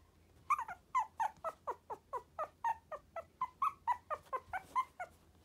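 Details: Sturdy-bodied Tiny Poodle indoors giving a steady run of short, high, whining whimpers, about two per second, each slightly falling in pitch, over a faint low hum.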